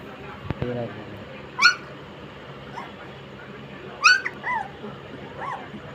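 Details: German Shepherd puppies, sixteen days old, giving a few high, sliding whimpers and squeaks spaced a couple of seconds apart over a faint background hum, with a brief knock near the start.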